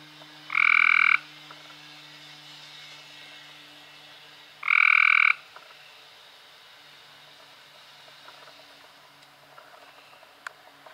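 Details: In May 2016 a Cope's gray treefrog sounds two short grating trills four seconds apart, then quiet with a faint low hum and a few soft clicks.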